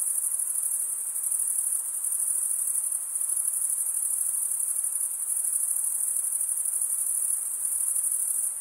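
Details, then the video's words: Crickets chirping through stridulation, males running a wing along the serrated vein of the opposite wing, make a continuous high, finely pulsed ringing that barely varies in volume; no other sounds stand out. "Most relaxing cricket sound"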